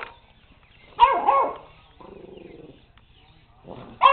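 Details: Puppy named JJ barking at a robot dog indoors; one double bark near the middle and a short sharp yelp at the end, with a lower whining tone between and a steady low hum throughout.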